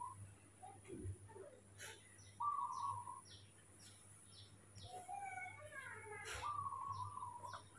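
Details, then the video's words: Mobi, a baby monkey acting spoiled just after waking in the morning, gives two long, steady, whistled coos a few seconds apart, with faint descending bird chirps high above and a quiet voice nearby. "baby monkey Mobi is super spoiled when he wakes up in the morning"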